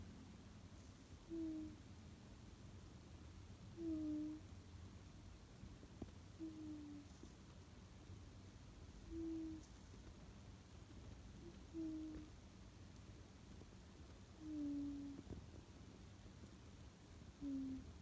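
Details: Whistling snores from Tsukkun, a sleeping pet cat that seldom snores: seven brief high nasal tones at a steady pace, roughly every two and a half seconds, over a quiet indoor background hum.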